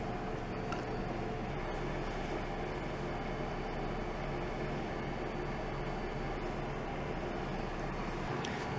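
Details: Steady broadband rumble like a running vehicle or fan, with a few faint clicks and no animal voice.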